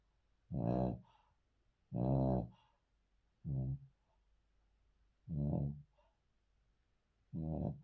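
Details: A Cavalier King Charles Spaniel, a male dog, sleeps on the floor indoors and snores in short, gruff, snorting bursts: five brief rasps in eight seconds at uneven intervals.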